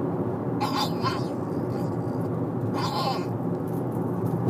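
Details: A 'talking' Shih Tzu, asking its owner to be let up onto a car seat, gives two short, whiny, bleat-like vocal bursts over a steady engine rumble.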